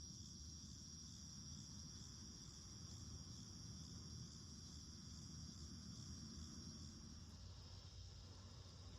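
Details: Daytime cicada chorus in a garden in August, a constant shrill buzzing hiss holding one pitch throughout, partly covered by a louder, steady low mechanical hum.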